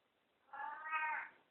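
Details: Katy, a talking cat, gives a softer wavering meow while greeting after waking, pitch lifting toward the end, over a faint background hiss indoors.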